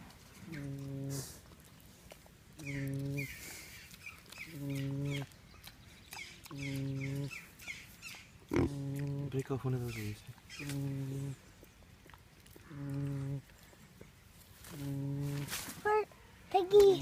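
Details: A pig snoring: low, buzzy, harmonic snores about every two seconds, each lasting under a second, with soft higher chirping sounds between them and a person speaking quietly near the end.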